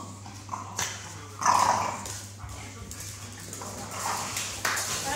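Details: Staffordshire Bull Terrier; fighting growls; aggression during a fight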